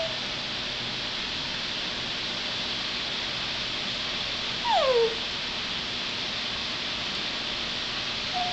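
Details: Toby, a dog, whines for his pink elephant toy: one short, clear whine sliding downward, set against a steady background hiss with nothing else audible.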